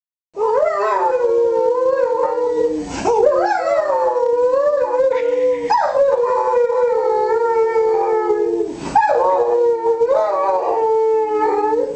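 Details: Giant Schnauzer singing along with its owner in a surgery room; long sustained howls held at a steady pitch, each sliding upward at the start, broken by brief pauses near three, six and nine seconds, with a lower human voice singing beneath.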